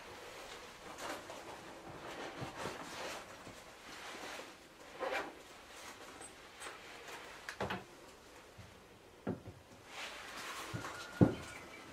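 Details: Scattered knocks and wooden clatters like drawers or doors in a small room, with no animal voice heard.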